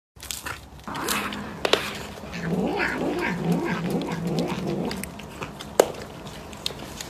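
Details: A cat gives a low, drawn-out caterwaul, a wavering moan that rises and falls for about two seconds, with soft rustling and a few sharp knocks around it.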